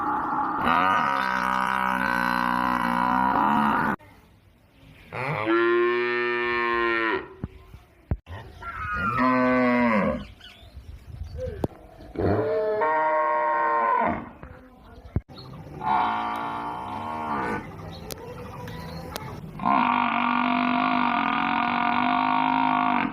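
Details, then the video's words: Cow in a village mooing: six long, loud, harmonic moos, each lasting two to four seconds, some rising then falling in pitch, separated by short pauses with faint clicks. "cow and buffalo video"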